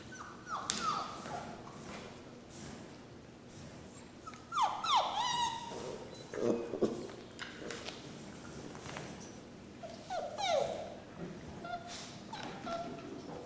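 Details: Rescue puppies whimpering and yipping indoors: several short, high, whiny cries that slide up and then fall away, coming in irregular bursts, with soft rustling between them.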